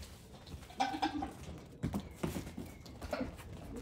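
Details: Farm goat babies, one day to one week old, among fifteen newborns; a wavering, mid-pitched bleat near the first second and a shorter one toward the end, with thumps and handling noise between.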